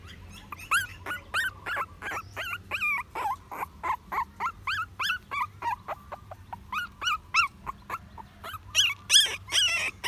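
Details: A puppy gives repeated whiny whimpers with a bent, wavering pitch, coming in quick bursts of about three per second, with a faint low hum underneath.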